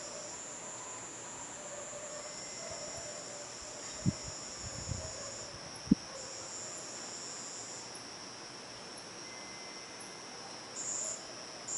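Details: A cicada in a garden at nightfall gives a steady, high-pitched drone without a break, with a few soft knocks; bats fly nearby.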